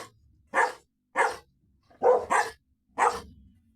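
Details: Labrador Retriever, shown alongside a Golden Retriever, gives five loud, short, harsh barks over about four seconds, the third and fourth coming in quick succession, with quiet pauses between them and no other clear sounds.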